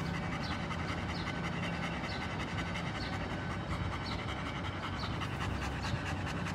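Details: German Shepherd of a work line panting: quick, steady, breathy huffs repeated several times a second over a low continuous hum, with no voices during the stretch.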